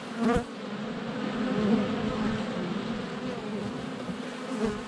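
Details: Honey bees in flight around the hive entrance in February sun, filmed with a GoPro under a foot away; dense humming drone, with a bee bumping against the camera at the start and again near the end.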